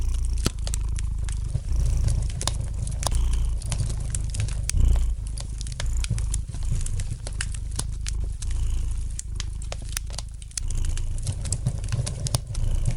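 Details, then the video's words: Domestic cat purring gently beside a fireplace: a steady, low rumbling purr that swells and fades in slow waves, with light crackling and sharp pops from the burning fire scattered throughout. "Relax to the gentle purring of the cat and the light crackling of the fire in the fireplace!"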